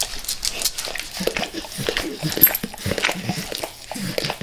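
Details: Quick, crisp wet licks and tongue clicks from Max, a dog devouring natural peanut butter and peanut butter oil, repeating in a fast, uneven patter throughout.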